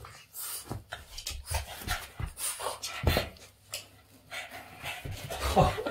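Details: Boston Terrier at play with its owner's hands indoors, giving rapid irregular panting breaths mixed with soft whimpers and grunts, some snuffling, and a brief man's voice near the end.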